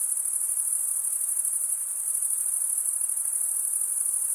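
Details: Steady chorus of chirping crickets, males making the sound by drawing one wing over the comb-like vein of the other; a shrill, fast-pulsed, constant ringing with only a quiet hiss underneath.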